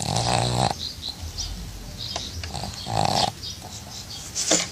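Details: Snoring pug asleep in a water bucket, also farting: a loud buzzy snort opens the clip, a second comes about three seconds later, and soft wheezes and crackles fill the gaps.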